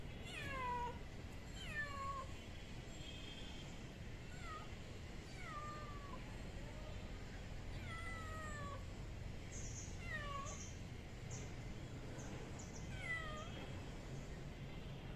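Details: Lost kitten, one of two siblings left by their mother and stranded on a roof, gives about nine high, falling meows, each sliding downward, at uneven intervals of one to three seconds over steady low background hum and faint distant chirps.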